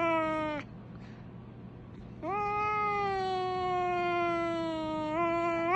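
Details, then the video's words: Pet cat whose call sounds like a fire truck: a short falling meow, a pause, then one long steady siren-like howl lasting about three seconds that swells slightly at the end. "cat sound like a Fire Truck!"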